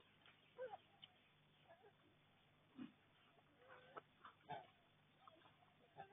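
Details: Wild boar, a group that came into a garden in Kandy, Sri Lanka, on 29 September 2024: low, short grunts spaced a second or so apart, with faint rustling and scattered small noises around them.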